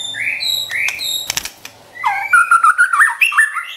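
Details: White-rumped shama kept as a pet, singing to provoke and train others: two slurred whistles and clicks over a faint low hum, a pause, then a quick run of warbled, stepping whistled notes.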